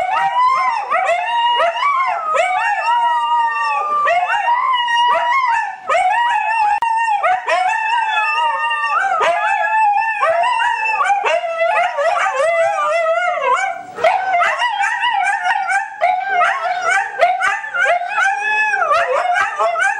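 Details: Pet Siberian Huskies in a group howl triggered by a piece played on a computer, multiple voices layering long wavering howls that bend up and down, sustained without pause across the whole stretch.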